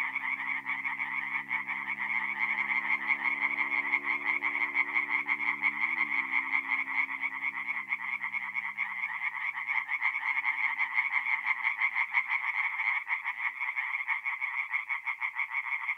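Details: Night chorus of singing tree frogs at a forest pond in north-east Italy, mid-April: unbroken rapid croaking, many callers overlapping, plus low humming tones that bend briefly around the sixth second.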